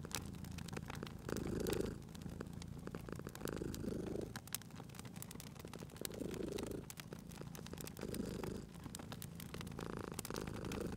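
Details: Cat purring next to a fireplace, the low rumble rising and fading in slow cycles, partly masked by dense crackling and popping of the fire.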